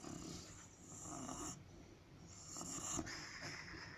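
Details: A sleeping white dog snoring and sleep-talking at home; soft, breathy rasping snores rising and falling in slow waves, with faint murmuring sounds between breaths.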